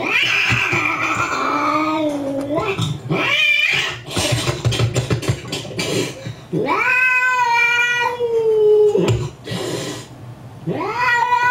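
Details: Angry domestic cat reacting while watching another angry cat on a computer screen, giving long drawn-out yowls and caterwauls that rise and fall, some sliding downward, with strong harmonics and brief pauses between outbursts indoors.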